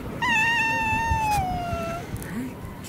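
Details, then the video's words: Street cats in Russia fighting: a single drawn-out yowl, harmonic and gently falling in pitch over nearly two seconds, then quiet rustling. "fight cats, драка котов"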